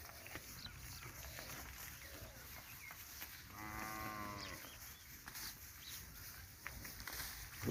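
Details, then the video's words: A cow grazing on a winter morning moos once, a steady harmonic call of just over a second at mid-clip, over a constant hiss of outdoor background noise with scattered clicks and faint chirps. "Cow grazing | cow sound video | winter morning video"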